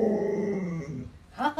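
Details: Alaskan Malamute pet dog named Luoluo giving a tonal, slightly wavering howl that slides gently downward for about a second, followed by a brief burst of human speech.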